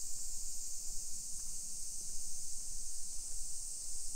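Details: Cicadas singing on a summer afternoon, 28 July 2021, in suburban Nisshin near Nagoya, Japan. A continuous high-pitched hissing drone holds level, over rhythmic walking footsteps that thud roughly every second.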